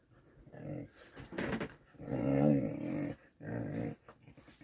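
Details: Whippet family indoors during play fighting with love bites and kisses; low rumbling growls in three bursts, the middle one longest and loudest, separated by short pauses, small room ambience.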